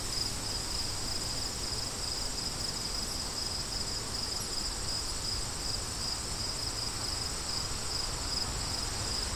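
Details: Crickets chirping with wind: a steady high, thin trill pulsing in quick regular beats, set against a constant broad rush of wind that fills the low and middle range throughout.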